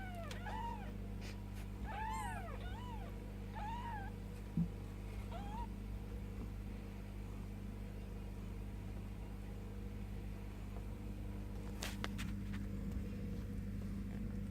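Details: Bengal kittens ten days old, mewing indoors: about six thin, high arched mews with a rise and fall, several in quick pairs during the first five seconds, then near silence over a steady low hum.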